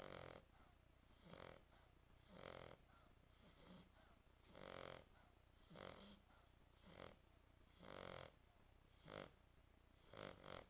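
A French Bulldog snores steadily, each breath a rough, rattling snort with a hissy edge. The snores come in an uneven rhythm about once a second in a quiet indoor room.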